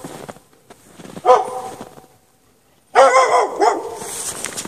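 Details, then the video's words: Dog chained outside in the snow at night without shelter, barking in two short bursts with a long quiet gap between them, the second burst louder and longer. "Dog barking chained out in the snow"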